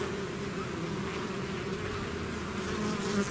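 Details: Short stretch of a bee swarm emerging from its hive, an unbroken low droning buzz with faint fizzing overtones, slightly louder toward the end.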